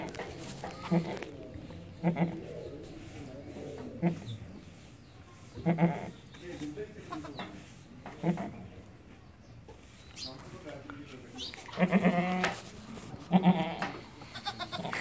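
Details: Beetal goat kid from Azad Jammu and Kashmir, giving soft, short, nasal bleats at irregular intervals of about one to two seconds, a few louder and wavering, with quiet background noise.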